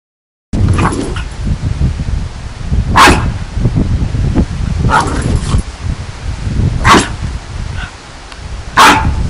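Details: Boston Terrier (Canis familiaris), bark: provoking another dog.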